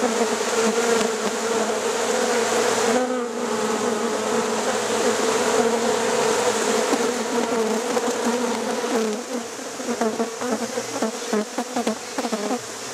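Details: Honey bees hived at night in Rosharon: a thick, steady buzzing hum that briefly dips, then returns with a flickering, rougher texture and light rustling toward the end.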